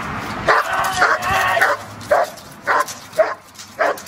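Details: Belgian Malinois during protection work, giving loud harsh barks in rapid bursts, about six in four seconds, the first ones run close together, with a low steady hum underneath.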